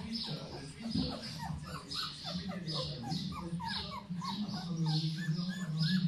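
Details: Litter of 15-day-old puppies from Beauty and Bailey: many high, thin squeaks and whines overlapping continuously, some rising then falling, over a steady low hum.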